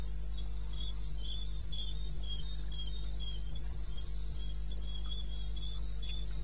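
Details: Eastern Botswana, wild bush at night (21 May 2016, 2:30 AM): sharp, high-pitched cricket chirps repeat evenly about four times a second, with a softer chirping voice alongside over a deep constant hum.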